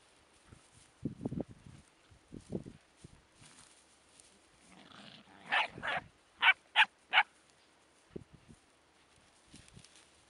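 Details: Laika puppies heard faintly: low grunting whimpers early on, then a quick series of sharp, high yelps near the middle, three of them crisp and evenly spaced, with quiet scattered sounds after.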